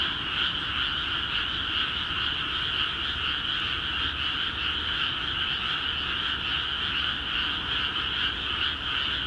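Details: Dense chorus from frogs in flooded rice fields of Akiha Ward, Japan, calling vigorously after water entered the paddies; countless croaks blend into a steady, pulsing trill repeating roughly two or three times a second.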